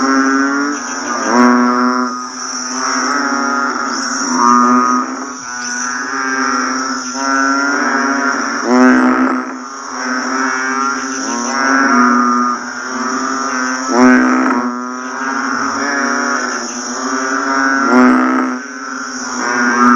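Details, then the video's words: Banded bullfrogs calling just after rain has stopped, in a dense chorus of deep, bleating, cow-like moans over a steady high insect hum. "เสียงอึ่งอ่างร้องหลังฝนตกเสร็จใหม่ๆ ฟังสบายกล่อมนอน"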